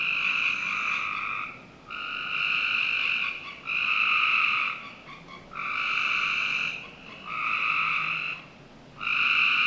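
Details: Summer night in a Northern Virginia backyard, where frogs produce a rhythmic series of trills, each lasting one to one and a half seconds with brief gaps, over faint steady ambient noise.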